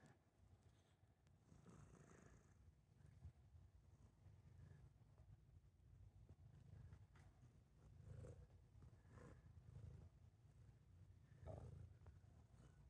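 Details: Cats that are close companions, purring: a faint, steady low rumble running throughout, with a few soft rustles and clicks over it.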